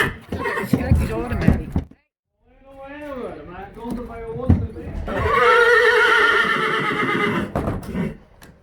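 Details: Friesian horse at home in the stable gives a long, shaky whinny that falls in pitch over about two and a half seconds. It follows a short stretch of Dutch speech and is followed by loud, rough noise.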